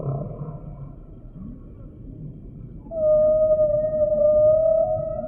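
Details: Humpback whale song: soft low groans give way to a long, clear, steady mid-pitched tonal note held for over two seconds, with a fainter higher overtone above.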